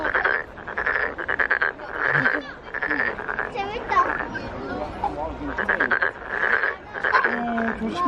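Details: Korean frog filmed at the Nowon lantern festival, vocal sac ballooning as it calls: rattling, pulsed croak trains of about a second each, separated by short pauses, with faint voices nearby.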